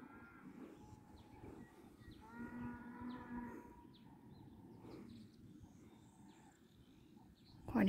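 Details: Cattle calling in the distance during a horse ride; one drawn-out, tonal, slightly nasal moo of about a second, with fainter calls around it and a sudden loud noise at the end.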